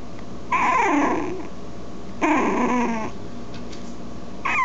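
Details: Puppies whining in two long drawn-out cries, each about a second, wavering then sliding downward, with a short squeak at the end over low background hum.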